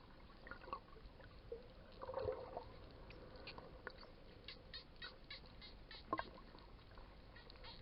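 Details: Wild dolphins recorded underwater while snorkeling at Coraya bay, Marsa Alam, Egypt, after visiting the bay: scattered sharp clicks and short squeaky, quacking bursts, with one brief tonal squeal midway, over a steady hiss of water.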